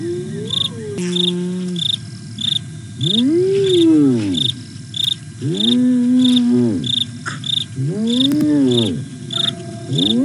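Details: Hyenas Aggro and Spoon calling at night on 08 09 2022 at the Nkorho cam, fenceless Sabi Sands Reserve beside Kruger National Park, South Africa: repeated arching whoops that rise and fall, each about a second long, over steady cricket chirping.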